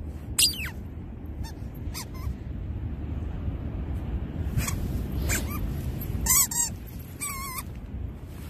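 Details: Labradoodle highly excited while digging a hole outdoors: steady scrabbling and rustling of the digging throughout, with short sharp clicks and several high, wavering whines and squeals near the end.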